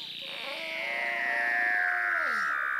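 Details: Weddell seal, from a recording featuring two males and a practicing pup: one otherworldly gliding whistle that descends slowly with rich overtones, like a theremin, over low background noise.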